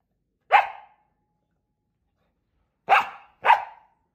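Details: Scottish Terrier indoors having a tantrum while its owners are away on holiday: three sharp, loud single barks, one alone then a quick pair about half a second apart, with silence between.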